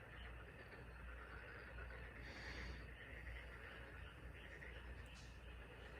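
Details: Chorus of frogs on the Taean Peninsula: a dense, continuous wash of overlapping trilled calls, steady and unbroken from start to finish, sitting over a faint low rumble.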